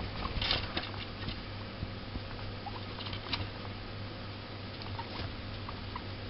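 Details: Two pet guinea pigs, Dennis and Uno, indoors: brief high squeaks and chirps scattered over steady rustling and pattering, with a constant low hum underneath.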